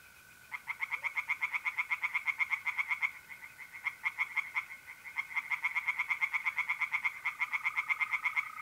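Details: Tree frogs singing in a pond on a mid-April night in north-east Italy: fast bursts of rapid, rattling pulsed croaks, with brief pauses between runs, over the steady, even trill of mole crickets.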